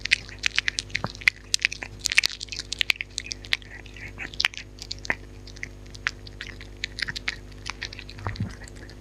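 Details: Dog eating in close-up with no talking: dense crackly crunching and wet chewing clicks, rapid irregular bites packed through the stretch, with a faint steady hum underneath.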